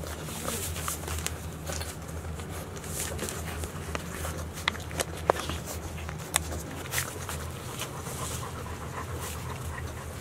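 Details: Thirty-day-old Golden Retriever puppies, Chiro's litter of five males and one female born 26 April 2018, recorded 25 May 2018 as they grow more active: soft rapid panting and snuffling with sharp clicking taps over a steady low indoor hum.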